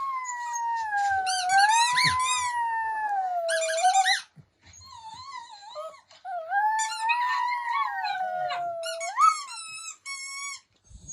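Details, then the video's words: A female puppy howls at a recording of herself, wanting a squeaky toy. Long wavering howls slide up and down with rich harmonics; two howling voices overlap at times, with brief pauses near the middle and end. "Puppy Howling At Herself Howling For Squeaky Toy"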